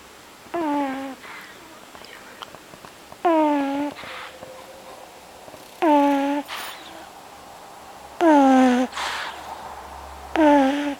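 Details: A sleeping pug snores in whistly, falling tones repeated about every two and a half seconds.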